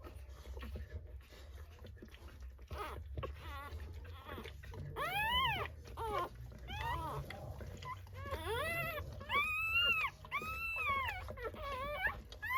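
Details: Newborn Rottweiler puppies during a natural dog birth: soft, scattered noises at first, then a run of high, arched squeals, each rising and dropping, over a steady low hum.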